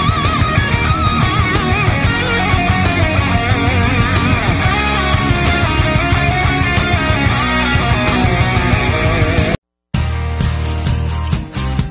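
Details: Loud heavy-metal guitar music with a brief silent break just before the end, and no animal sound.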